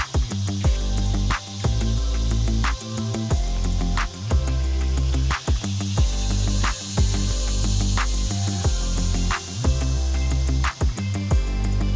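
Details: Loud rhythmic music with heavy bass notes and sharp percussive hits repeats steadily throughout, masking any other sound.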